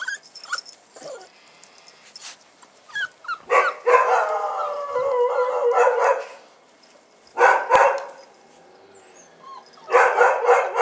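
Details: Bull Terrier puppies on their first outing, 18 January 2015, give bursts of high, wavering whines and yelps with short pauses between.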